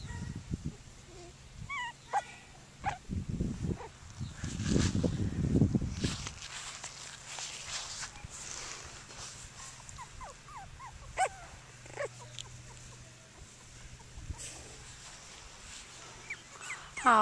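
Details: Cockapoo puppies, seven of them, at play outdoors at Denning Farms: scattered short high yelps and soft whimpers, a burst of rustling and a woman talking midway, a faint low hum beneath.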